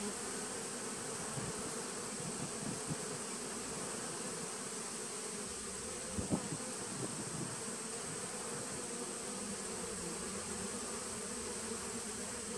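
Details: Steady droning of honey bees in a 2017 nuc on September 19, 2018, a thick even buzz with a few sharp clicks near the middle and a constant faint high tone behind.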